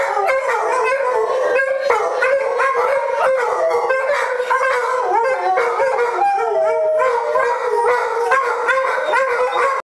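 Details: German Shorthaired Pointers howl in chorus at a TV commercial tune, started by one female that dislikes the jingle. Layered, warbling howls run without a break, with one clearer rising howl near the seventh second.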